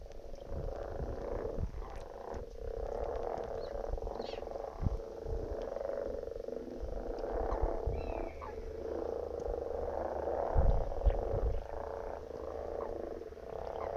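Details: Common frog croaking: a steady, low, rumbling stream of purring croaks that runs throughout, with occasional louder knocks and thumps underneath.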